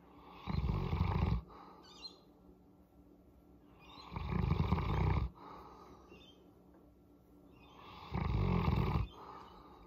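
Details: Pet Boerboel Molly getting a head massage gives low, rough rumbling purrs, each lasting about a second and recurring every four seconds, separated by faint breaths.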